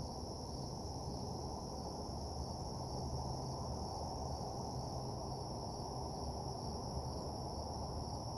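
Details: Crickets chirping at night in a deserted parking lot: an unbroken, high ringing chorus at two steady pitches over a dense low rumble of background noise.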